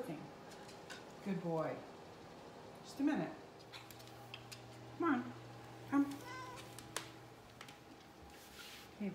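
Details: Teddy Bungoo, a red miniature poodle, hungry indoors and whining for his dinner: short, sharply falling whines and yelps come in bursts roughly every one to two seconds, over kitchen clatter and a person talking.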